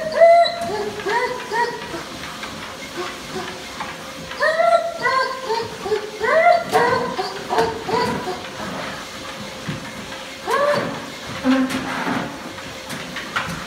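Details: German Shepherd puppy learning to use a treadmill, giving short, arching, whiny yelps in irregular bursts, clustered around the middle and again near the end, over a steady hissing machine hum.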